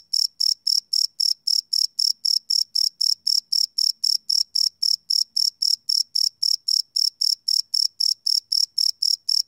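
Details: Crickets chirping at night, recorded live with a field recorder: continuous high, ringing chirps pulsing roughly four per second at steady volume, with only a faint low murmur beneath.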